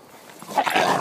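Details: A blue Staffordshire Bull Terrier, with a brindle one, fighting a "tiger", gives a brief, rough, noisy vocal burst with a faint whining edge.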